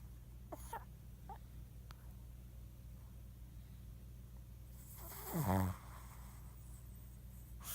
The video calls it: Snoring shih tzu